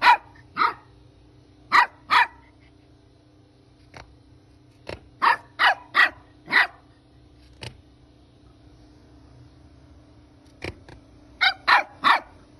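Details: Young puppies yapping: about a dozen shrill, clipped barks in loose clusters of two to four. There are gaps of several seconds between them, with a few faint clicks and taps in the quiet spaces.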